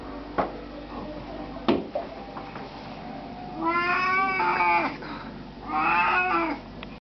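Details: Two squeaky, stretched-out yawning cries from an Oriental cat, each about a second long and rich in overtones, preceded by a couple of sharp clicks in a quiet room.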